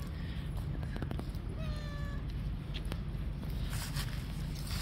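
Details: Stray cat on a park bench awaiting food gives one flat, drawn-out meow lasting under a second, over heavy low rumbling background noise.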